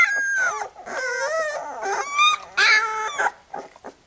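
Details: Newborn Labrador Retriever puppies being cleaned by their mother after a feed give sustained, wavering whines and squeals that slide up and down, several voices overlapping, ending in fainter short whimpers.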